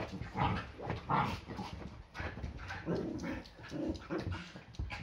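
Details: Yorkshire Terriers wrestling in play, a fight that starts nearly every day before breakfast; a continuous low grumbling growl with short snorting and whining bursts overlapping.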